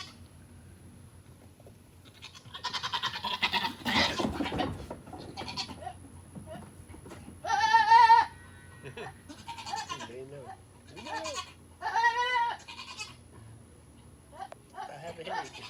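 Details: Two domestic goats making funny noises while chasing and playing: loud wavering bleats with a quavering, trembling tone, a few seconds apart, plus softer short grunts and some rustling and thumping between calls.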